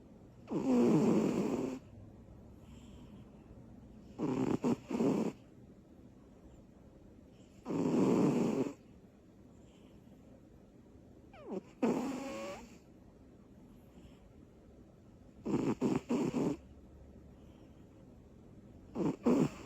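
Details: Little cat Butters sleeps deeply after tiring herself out with energy bursts. She gives six loud snores across the stretch, some smooth and drawn out, others broken into stuttering, fluttery pulses, with silent gaps between them.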